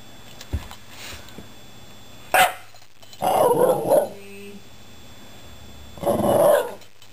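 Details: Pet Shiba Inu named Patrick vocalizing at two recently rescued household cats, giving two longer whining, grumbling utterances about two seconds apart after a sharp click, in a quiet indoor room.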